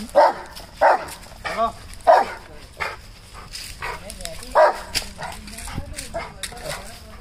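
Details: Rottweilers in a barking challenge, barking at each other, give deep, loud barks in irregular single bursts, with faint voices behind.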